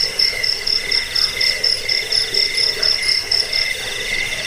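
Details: Crickets sing in rapid, fairly regular bursts of shrill, high chirps, about two per second, layered over a steady lower trill. The recording is used against rats, as a sleep aid and for bird training.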